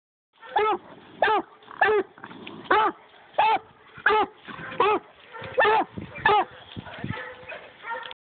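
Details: Black and Tan Coonhound pup barking at a caged raccoon: sharp, clipped barks roughly every half second to second, a dozen in a row, with faint whining between them.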